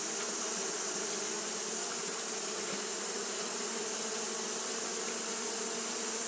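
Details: Japanese honey bees fanning continuously in hot weather create a dense wall of buzzing, a low steady drone beneath a bright hiss, without pauses or other noises.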